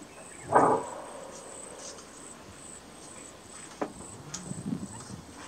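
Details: Greater kudu in Kruger National Park giving its characteristic bark alarm call: a single loud, harsh, short bark near the start, then quiet with a few faint knocks and a steady high insect hiss throughout.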